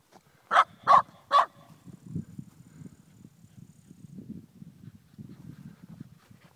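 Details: Eight-month-old Shiba Inu meeting cows for the first time in the Pyrenees: three sharp, loud barks in quick succession, followed by low rumbling background sound.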